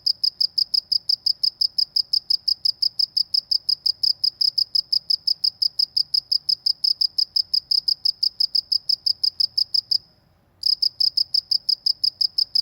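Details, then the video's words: Cricket chirping in the Indonesian countryside, a steady stream of bright, high pulsed chirps repeated several times a second, with one short pause near the end before the chirping resumes; no other clear sounds. "suara jangkrik di pedesaan"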